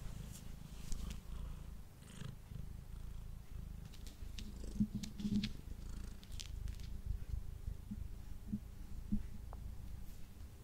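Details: Indoor male house cat purring during a meal, captured on a Blue Yeti microphone: long, even low rumble with rhythmic pulses, overlaid by occasional wet clicks, short squeaky tones and soft chewing.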